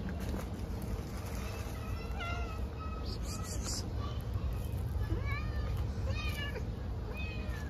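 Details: Stray cats being fed on the street, meowing in short rising-falling cries, several in quick succession across the stretch, some overlapping as if from more than one cat, over steady low traffic-like rumble.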